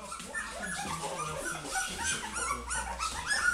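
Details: Several Goldendoodle puppies indoors calling for their mother, a dense chorus of overlapping high whines and yips without pause, with a low hum underneath.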